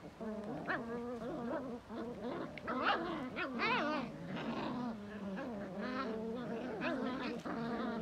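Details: A Belgian Malinois mixes low grumbling growls with higher whining rises and swoops, in uneven bursts that sound like talking back, some calls sliding sharply upward.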